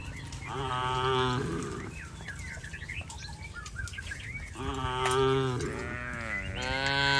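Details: Domestic cattle herded across a rice paddy field giving overlapping harmonic moos, one near the start and a longer pair after four and a half seconds, with a few chirping sounds between and a man speaking briefly.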